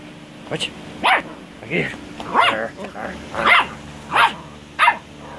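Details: A 12-week-old purebred Yorkshire Terrier puppy gives seven short, high yaps about every half second to second, each a sharp burst, with a person speaking nearby and a steady low hum in the background.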